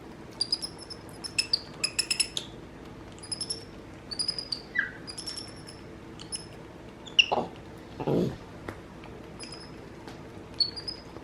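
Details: Pet capuchin monkeys MonkeyBoo and his baby brother MonkeyHappy talking to each other indoors: scattered bursts of high, squeaky chirps with a few brief lower squeals, and a human voice nearby.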